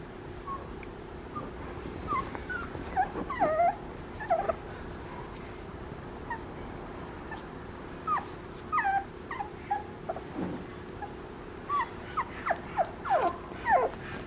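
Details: Papillon puppy whimpering: short high whines and yips scattered through the clip, some descending, with quiet gaps between bursts and faint background noise.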